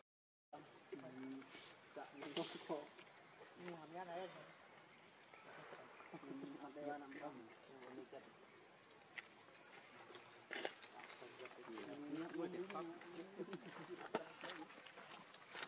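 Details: Hungry baby monkey Leo begging its mother for milk: repeated quavering, warbling cries in clusters separated by short pauses, with scattered clicks and rustling outdoors.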